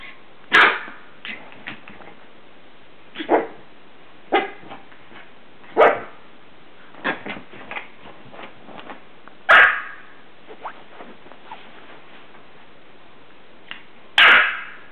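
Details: Pet dog playing in bed, giving short sharp barks at irregular intervals across the clip, with softer yips and rustling between them.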